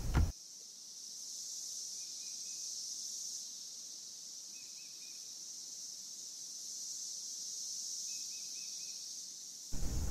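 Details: In a Kansas forest in 2015, a dense, high chorus of male Cassin's 17-year periodical cicadas (Magicicada cassini) gathered in trees to attract females, calling together in waves that slowly swell and fade.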